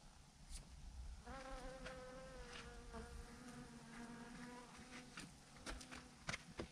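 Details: Thousands of bees hanging in a massive clump on a branch as a swarm, giving a steady, low droning hum with layered overtones that swells after the first second and holds, broken by occasional sharp clicks and taps.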